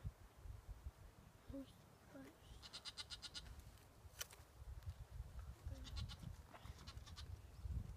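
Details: Desert bighorn lambs in a small slot canyon in Zion National Park give short, wavering bleats, calling after being separated from their mother.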